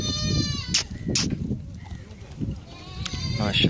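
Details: Baby goats at a brunch feed give high, quavering bleats at the start and again near the end, mixed with sharp bursts of noise and human voices.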